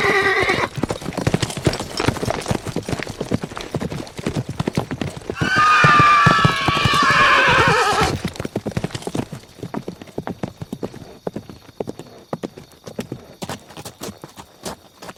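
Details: Horse galloping with fast, steady hoofbeats throughout, about three per second, broken by a loud, wavering whinny lasting a couple of seconds midway, then hooves continuing alone.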